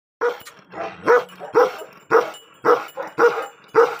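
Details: Angry Tibetan Mastiff, a guard dog breed, barking in a steady series of deep, hoarse barks, roughly two per second, with a brief low rumble between early barks.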